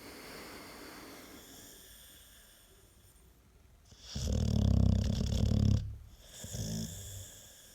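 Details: Sleeping American Staffordshire Terrier giving one deep, rattling snore of about two seconds, low and buzzy, followed by a shorter softer breath; quiet room before it.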